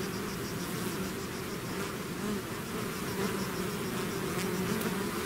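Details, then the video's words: Bees swarming out of their hive produce a continuous thick hum, several overlapping buzzing tones holding steady, with brief louder passes of single insects near the microphone. "bees therapy swarm natural buzzing sound"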